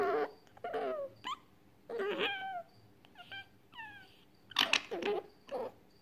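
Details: Grumpy, angry pet fennec fox giving a run of short whining squeals with wavering, rising and falling tones, broken by sharp chirps and brief quiet gaps over about six seconds.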